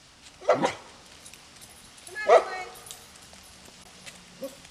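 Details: Dogs at a canyon home barking at a passer-by: two separated barks about two seconds apart, moderately distant, with quiet background hiss and a faint short call at the end.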